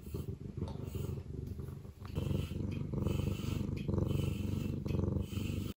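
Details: Male blue point bicolor Ragdoll kitten, born June 2023, playful and cuddly, in its first year; close, deep rhythmic purring, pulsing about twice a second, steady throughout with soft rustles.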